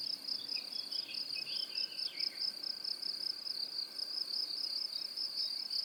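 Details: Cricket trill presented as a high-frequency masking sound for tinnitus relief: a shrill, evenly pulsing drone, with a burst of faint twittering chirps in the first two seconds.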